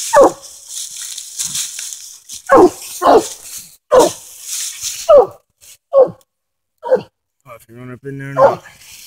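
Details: Coonhound treed on a den during a coon hunt in Tennessee: loud, hoarse barks spaced about a second apart, each a short harsh burst, with a man's voice briefly heard near the end.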